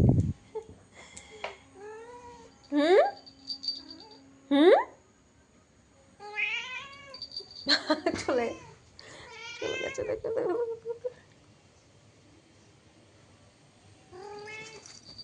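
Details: Cat meowing in scattered short bursts, sharp upward-sweeping cries and wavering drawn-out meows over several seconds, then a quieter stretch and one last faint call, with a thump at the start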